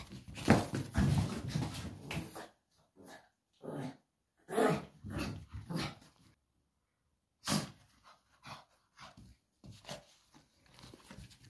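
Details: Mitrofan the pug grumbles and growls in short rough bursts, mixed with snorts, as he plays and refuses to return a slipper. A man repeatedly asks for the slipper between the noises.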